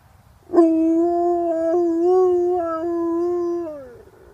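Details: An Alaskan Malamute gives a long, steady, throaty, Chewbacca-like howl with a few small warbling breaks.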